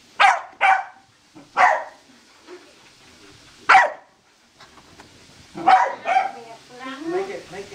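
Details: Corgi barking in excitement while chasing a laser indoors: short sharp barks in quick pairs and singles, followed by a person talking near the end.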